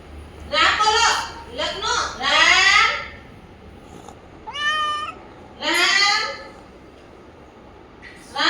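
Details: Pet cat meowing repeatedly, long wavering cries overlapping with a person speaking Gujarati nearby, one clear higher, thinner meow in the middle.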